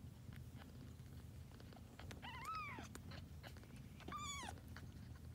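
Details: Two soft, arching mews from a litter of grey tabby kittens born to a once-homeless cat now kept indoors, spaced about two seconds apart over a low steady background rumble.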